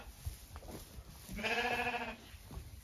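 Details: Zwartbles hoggetts on a regenerative farm in County Kilkenny, Ireland, are all ready to be fed. One sheep lets out a steady, harmonic, wavering bleat lasting under a second, with soft rustling and faint movement around it.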